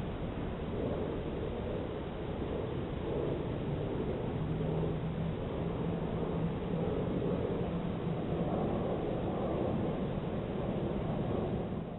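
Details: Steady low rumbling noise, like distant traffic or wind, fills the whole stretch with no animal voice heard.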